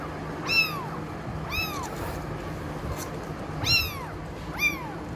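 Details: Kitten giving four short, high, arched mews, rising then dropping, spaced about a second apart over faint background hum.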